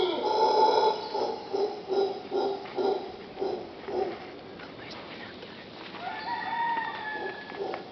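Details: Howler monkeys outside a bedroom in Punta Uva, Costa Rica: rough, guttural roaring pulses repeated about twice a second for four seconds, fading out, then a rooster crows in the background.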